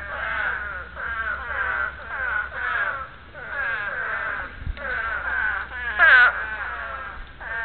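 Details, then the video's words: Spadefoot toads calling to breed: a steady chorus of nasal, wavering moans, overlapping bleats about a second long, with one louder, closer call standing out near the sixth second and a brief low thump before it. "Breeding call of the Spadefoot Toad."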